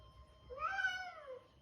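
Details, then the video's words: Male Persian cat in heat giving a single drawn-out meow, rising then slowly falling over about one second, harmonic and nasal, in a small quiet room. "Male Cat heat calling"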